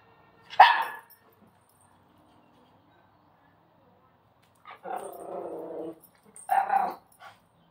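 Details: A female Miniature Schnauzer begs for her Christmas presents with a sharp bark, a drawn-out whining grumble, then another yappy bark.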